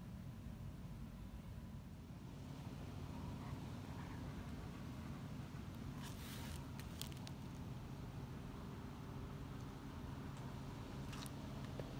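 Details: Steady low rumble of a passing vehicle outdoors, with a few faint clicks and ticks over the top and no animal voice.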